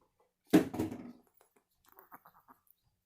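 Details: Chihuahua, apparently named Vespa, indoors in a small room, producing what is described as alien noises: one harsh, grumbling burst lasting under a second, followed by faint soft ticks and a person's voice.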